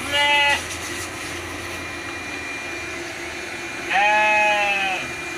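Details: Two bleats from Merino sheep on a Jogja farm in Indonesia. A short, quavering cry comes first, then a longer, drawn-out one about three seconds later, with a constant background hum.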